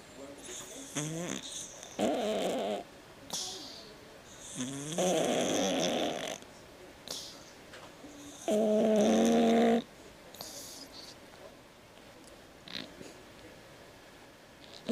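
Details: Sleeping domestic cat snoring like a man, with loud, rasping, buzzy snores coming in bursts about one to two seconds long and separated by quiet gaps. Human voices are audible in the background.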